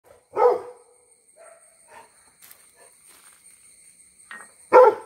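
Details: Labrador Retriever barking at a cow: two loud, short, harsh barks about four seconds apart, with faint rustling and soft sounds in between.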